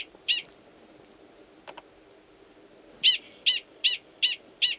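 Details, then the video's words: Gunnison's prairie dog, a wild male at Valles Caldera National Preserve, New Mexico, in March 2017, calls to an estrous female below ground; one sharp high chirp, a faint click, then five clipped barks in quick even succession. "Prairie Dog Mating Call"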